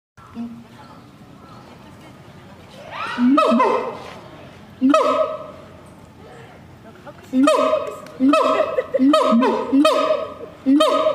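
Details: Siamang calling at night: after a quiet start, loud honking barks begin midway, each a rich harmonic stack, coming in irregular bursts roughly every second toward the end, over a low steady background hum.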